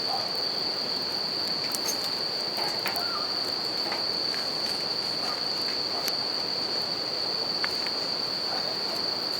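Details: Bell crickets ringing without pause at a riverside campfire in Japan; a single high, clear tone persists over rushing river water, with crackling and popping wood from the fire throughout.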